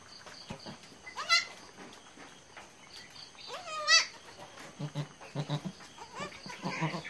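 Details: Goat family just after a birth of three kids; two separate quavering bleats a few seconds apart, followed by soft low repeated grunts and faint background rustling.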